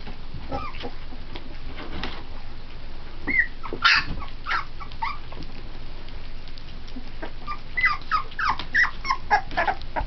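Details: Three-week-old Pit Bull puppies eating puppy formula and playing with each other, scattered high whimpers and yips with short squeals, growing busier toward the end over a steady hiss.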